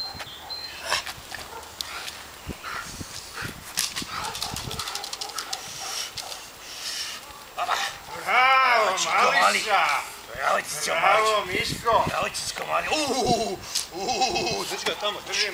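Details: Cash, a one-year-old male Belgian Malinois on his fourth time out during decoy work; muffled thumps and rustling give way to a loud run of harsh, rapid barks through the second half, with voices at times.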